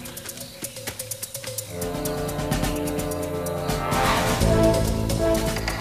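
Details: Orchestral theme music with percussion swells, no animal voices.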